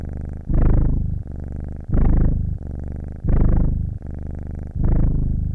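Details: Cat purr recorded close, a throaty low vibration with audible breathing, four strong surges rising and fading at an even pace, each followed by a quieter rumbling phase.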